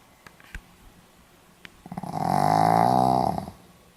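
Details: Pomeranian dog snoring, recorded 4 November 2015 in Hiroshima: quiet sniffs, then one long rasping snore of about a second and a half with a steady buzzy vibration, swelling and fading in a small indoor room.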